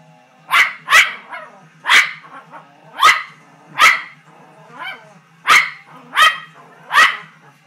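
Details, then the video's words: Poodle reacting to a bull on a TV screen with a burst of sharp repeated barks, about ten in under eight seconds, some in quick doubles, over low television sound and music. "Poodle watching t.v."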